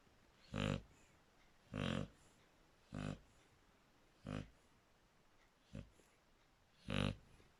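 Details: Snoring Shar Pei called Draco, six rough nasal snorts spaced about 1.2 seconds apart, some louder and longer than others, in a quiet indoor setting.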